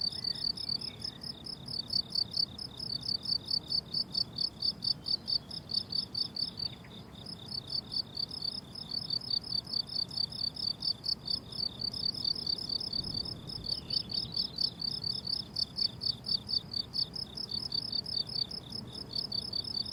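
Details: Crickets on a blooming summer meadow, wild field recording: steady, rhythmic high chirping pulses repeated rapidly and continuously, with a fainter higher band above; soft low rumble beneath, no music or voices.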